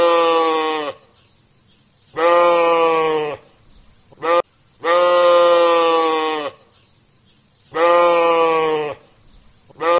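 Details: Repeated markhor bleats from the Karakoram and Himalayas, Central Asia: long, even, harmonic bleats of about one to one and a half seconds alternating with short clipped ones, roughly every two seconds, with near silence between.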